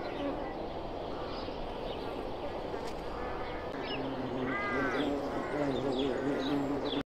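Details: Violet carpenter bee (Xylocopa violacea) makes a low droning buzz that wavers in pitch and grows steadier in the second half. Chirping birds and constant background noise are heard throughout.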